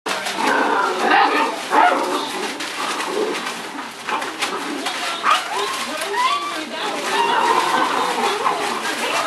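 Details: Puppies turning one year old, in the middle of a rough play session that has already lasted about 45 minutes: a dense, continuous tangle of growls, squeaky yips and short whining notes, with human voices mixed in throughout.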